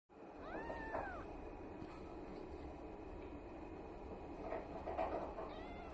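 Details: Russian Blue kittens born 29 December 2022, growing up: a thin rising-falling meow near the start and another faint one near the end, over steady low rumbling background noise.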